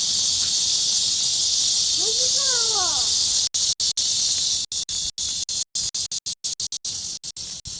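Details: Cicada chorus in midsummer: a dense, unbroken high-pitched buzz, with a brief child's voice around the middle, then the sound cutting out in repeated short breaks.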